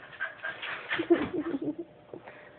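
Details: A pet puppy whimpers indoors, asking for a stuffed animal kept too high for him to reach; soft, low whining squeaks cluster over about a second, mixed with a woman coaxing him in Portuguese.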